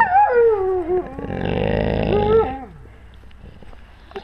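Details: Wolves with their pack, recorded on a GoPro camera at wolf level: wavering tonal howls sliding downward, overlapped by a harsh, rumbling growl in the middle, then fading to quiet.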